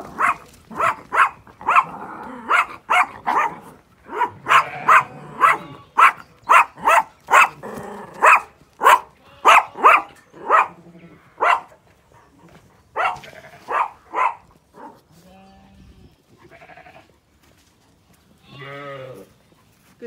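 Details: Working sheepdog Inca, female, drives a flock of ewes and lambs on an Irish farm in County Kilkenny; a long, rapid run of loud, punchy barks gives way to quieter pauses, with sheep bleating near the end.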